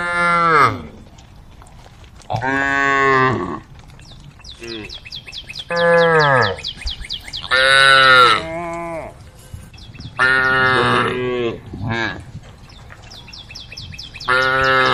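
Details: Female cows on a road calling to the herd, giving about eight moos in quick succession. Short and long calls mix, many bending downward at the end. Bursts of high chirping fill the gaps.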